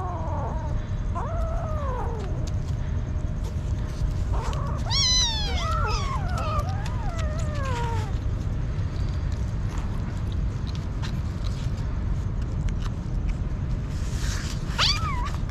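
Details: Street kitten, hungry, calls in a cluster of plaintive meows, several overlapping and falling in pitch, then goes quiet before one last sharp, rising cry near the end; steady low noise throughout.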